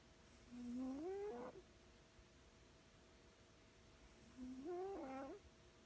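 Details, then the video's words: Cobweb, a female house cat, snoring in her sleep; two drawn-out whistling notes that climb in pitch and end in a brief rasp, about four seconds apart, against faint steady background hum. "This cat snores so loud"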